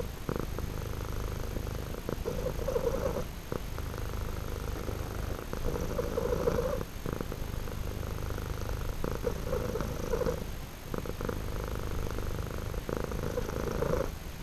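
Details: Two-tone purr of a male house cat, compared to a small engine going; continuous low rumble shifting between a deeper and a brighter tone on in and out breaths, with short gaps every second or two.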